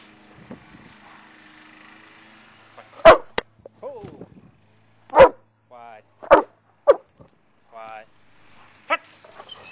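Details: Male dog playing ball, giving several short, sharp barks spaced a second or two apart, with a man's voice talking and praising him in between.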